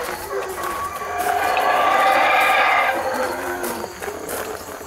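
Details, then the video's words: A swelling chorus of rough, resonant howls from wild howler monkeys in Belize treetops peaks midway, then tapers off into softer background sounds. "The Call of The Howler Monkey: Belize Treetops"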